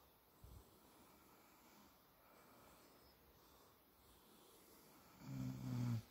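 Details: Sleeping American Staffordshire Terrier named Buba gives soft, low, rumbling snores with a quick snort near the start, then a louder, humming, voiced burst near the end.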